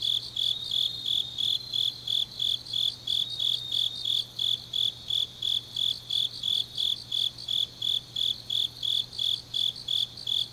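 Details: Autumn grass insects singing on a deep night in Changnyeong, South Gyeongsang, South Korea: high, steady chirps pulsing about three times a second in an even rhythm, with a faint low hum beneath.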